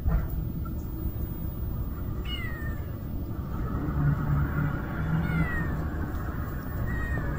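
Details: A kitten that cannot live without its mother, among stray cats, gives two high, thin meows a few seconds apart, each with a gliding, falling pitch, over a steady low rumble like traffic.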